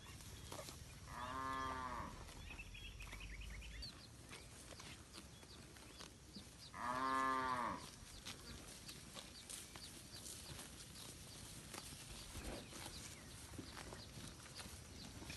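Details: Free-roaming village cows eating grass in a wide rice field, moos answering one another: two drawn-out, rich lowing calls roughly six seconds apart over a steady background of rural outdoor noise.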